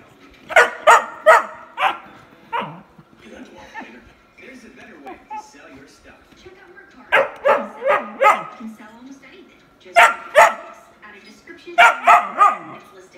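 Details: Whippet pup complaining that his sister has all the toys, giving clusters of three or four sharp yips every few seconds, with quieter whining between them.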